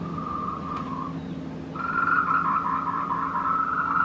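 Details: Courting tree frogs on the Meiling Wulong Trail, Nanxi, Tainan, recorded in the afternoon at 14:00 on 26 April 2018 with a Canon PowerShot SX720 HS; a rapid trill pauses briefly, then returns louder, over a low steady hum.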